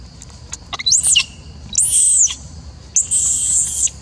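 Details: Three shrill, arching squeals from an upset macaque as an old female is fed, each rising then falling, the last one longer and sustained, with a low background hum.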